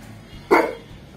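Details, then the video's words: A Rottweiler and a Pomeranian fight over a rope; a single short sharp bark bursts out mid-clip, with faint background hum and people talking around it. "Rottweiler and pomeriyan fight for a Rope"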